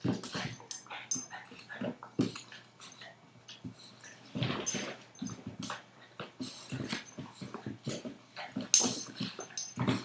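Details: Playful tussle between a 5-month-old Boston terrier and a 2-year-old golden retriever indoors: short gruff growls and snorts mixed with panting, paws scrabbling and thumps, loud uneven bursts.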